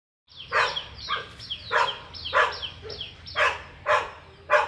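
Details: Labrador Retriever barking in a steady series of sharp, bright barks, about eight in under five seconds, each with a quick rising onset and short tail; a faint low hum runs beneath.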